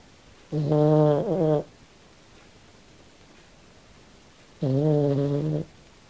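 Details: Kym, a pet Australian Silky Terrier, asleep and dreaming, gives two rhythmic, droning snores roughly a second long, about four seconds apart, the first with a brief wavering break in the middle.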